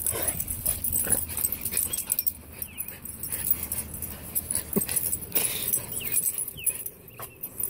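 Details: Boston Terrier kept as a pet, going through his pre-walk ritual: choppy huffs and snorts at an uneven pace, with a few short, thin rising whines between them, over a constant faint hiss.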